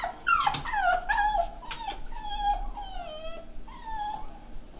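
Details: Indoor pet Jack Russell Terrier, looking for the dog it sees on screen (itself), makes a series of high, drawn-out whines that slide downward, several in quick succession, each with a sharp yelping start.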